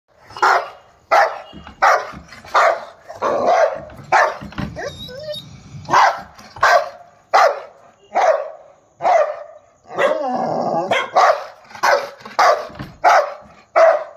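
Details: Angry Rottweiler on a street barking aggressively, loud deep barks following each other rapidly, about one to two per second, with a few brief growling rumbles between bursts.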